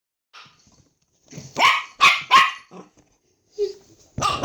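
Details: Pet dog arguing with its owner: a few sharp, broadband barks bunched near the middle, a short low sound between them, then one more bark at the end, with quiet gaps.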